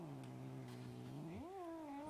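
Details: Domestic cat giving a long drawn-out meow, low and steady at first, then sliding upward and easing down again at the end; quiet background.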